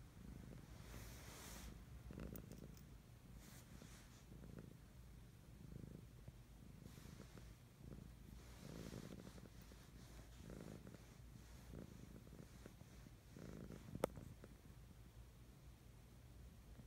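A Siamese cat purrs in a low, steady rumble that swells softly with each breath.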